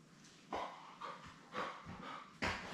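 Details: Newborn Labrador Retriever puppies, born May 24, 2021, with their mother Belle on a live puppy cam; short whimpering yelps in bursts about every half second, the last one loudest.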